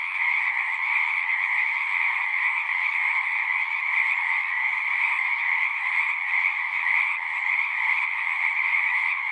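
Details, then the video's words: Many frogs calling together at a pasture pond, captured with a Zoom 6 recorder; an unbroken, buzzy chorus holds steady throughout, with overlapping trills forming a constant shimmering drone. "Frogs singing"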